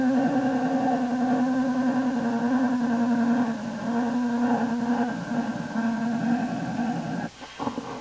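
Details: Young American black bear in its den, shifting from fussy to happy in January 2012: a long continuous buzzing hum, low and steady with faint pitch wobbles, briefly breaking off with a rustle near the end.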